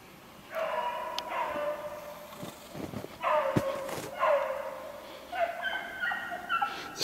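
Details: Beagles far off, chasing a snowshoe hare that runs well ahead of them, 3/8/16: bursts of bawling barks in irregular clusters, with sharp clicks and a man's voice mixed in.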